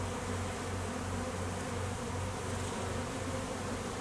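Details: Many honey bees working an apiary during peak summer honey flow, foragers and drones out at midday; a thick, continuous buzzing swarm-hum with a low throbbing drone that swells and fades in short pulses.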